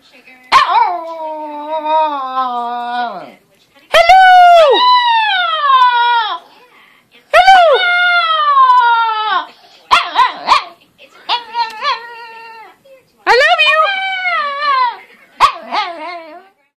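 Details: Excited female chihuahua, a former breeder dog now living in Millis, Massachusetts, yelping 'hello' at her owners while flipping her head back: a series of long wavering howl-like yowls that swoop down, then shorter choppy yelps near the end.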